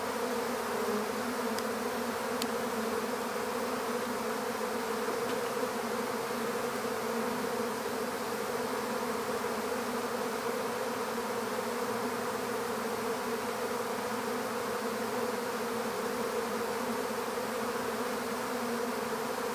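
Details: Long, unbroken hum of a honeybee swarm being captured into an empty hive, deep layered buzzing at an even level, with a couple of faint clicks early on.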